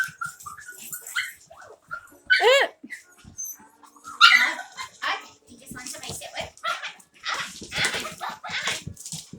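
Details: Several Havanese puppies at play indoors in an office: squeaky, rising yelps and short high barks come in uneven clusters, mixed with human voices and soft scuffling of paws and toys.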